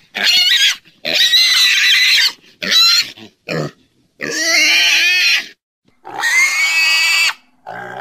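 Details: Pig giving a rapid series of about seven piercing squeals of uneven length, some wavering up and down in pitch, broken by short pauses, with no other sounds heard.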